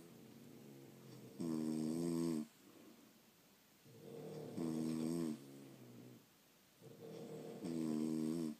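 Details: Sleeping French Bulldogs give three long, harsh snores, each a buzzy rattling inhale of about a second, separated by quieter wheezy exhales in a small room.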